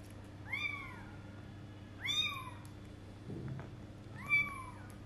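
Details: Twenty-day-old kitten on its first attempt to go out, giving three high-pitched arched meows about two seconds apart, each sliding up then down, with a soft low thump between the second and third.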